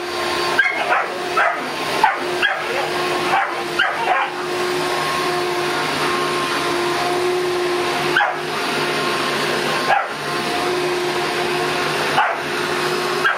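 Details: A Boston Terrier barks and yips in sharp bursts at a running vacuum cleaner over its steady hum, while his sister dog cheers him on.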